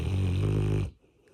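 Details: Labrador Retriever snoring while asleep on its owner's body indoors: one loud, low, rasping snore under a second long, then quiet.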